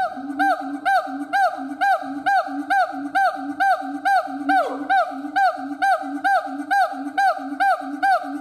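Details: Steady siamang howl: strongly harmonic, arched barks repeated at an even pace of about two per second, each note swooping up then down, with one longer falling slide near the middle.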